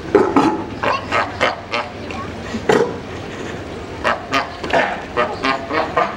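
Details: Sea lions at the Frankfurt zoo give rough, honking barks in quick repeated bursts.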